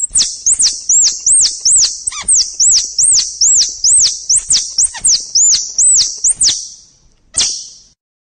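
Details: Squirrel. A squirrel calls with a rapid series of thin, high-pitched chirps, each rising and then falling. The notes come about three per second for over six seconds, with one last chirp after a short pause.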